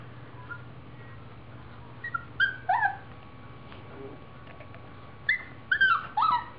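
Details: A playful Siberian Husky puppy gives short, high, sliding whines and yelps in two quick bursts.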